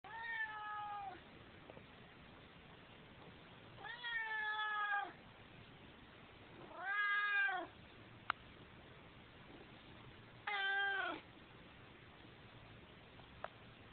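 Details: Fifteen-year-old male half-Siamese cat meowing at the door around the time his owner usually comes home; four long, drawn-out harmonic meows, the clearest sounding like a wailing "mooom", spaced about three seconds apart in a quiet room.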